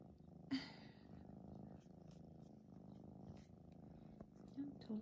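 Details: Male 14-week-old polydactyl red tabby Maine Coon kitten purring indoors while settling to nap on a computer. A low, steady rumbling purr runs under a woman's soft spoken voice and a few light clicks.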